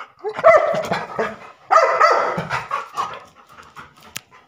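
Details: Labrador Retriever barking: two loud harsh bursts about a second apart, each breaking into several rough barks, then fading into quieter grunting noises and a sharp click near the end.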